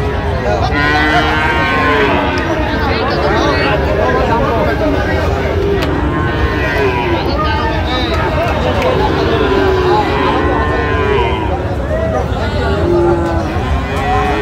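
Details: Sahiwal bull calves at a busy cattle market in Cumilla, Bangladesh, on 28 August 2025: several drawn-out, wavering lowing calls overlap above constant crowd chatter and market noise, with occasional vehicle sounds.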